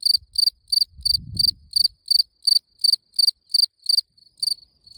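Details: High, ringing cricket chirps come in a regular train of short pulsed bursts, several per second, fading to weaker chirps near the end, with a brief low rumble early on.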